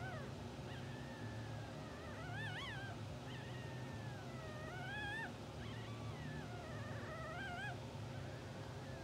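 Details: English Bulldog newborns, two hours old, from a blue sable litter, asleep and twitching; repeated high squeaky whimpers rise and bend in pitch, several overlapping in close succession, with a constant low electrical hum underneath.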